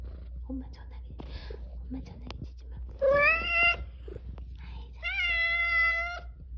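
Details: Indoor meowing from a formerly stray cat, part of a mother-daughter pair rescued in Haeundae after years outdoors. Two loud, sustained, even-pitched meows two seconds apart, with quiet human chatter and small clicks before them.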